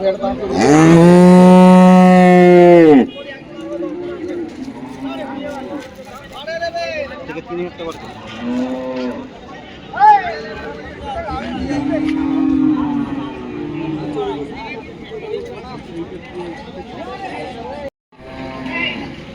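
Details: At the Friday cattle market in Dhaniakhali, one cow opens with a powerful, steady moo lasting about three seconds, followed by softer scattered lowing from other animals and busy human chatter.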